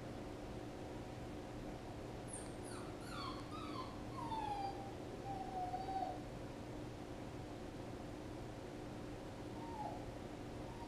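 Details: Puppy whimpering softly: a series of short, high, falling whines between two and six seconds, then one more brief whine near the end, over a steady low hum and hiss.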